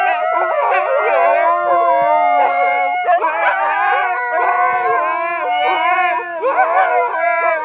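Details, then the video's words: A Siberian husky "singing" in a Sunday family sing-along gives long, wavering, rising and falling howls as other voices join in. "Delta the singing husky - Sunday family sing along part 1 ;;;"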